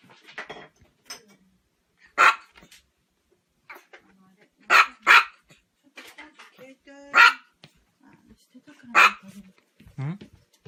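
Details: Domestic dog making funny, weird noises: short, loud, sharp barks burst out at irregular intervals, about five strong ones, with softer yelps and a low whine near the end, while people talk quietly in between.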